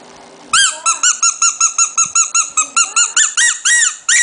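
A Shih Tzu puppy gives a rapid string of high, squeaky arched whines, several each second.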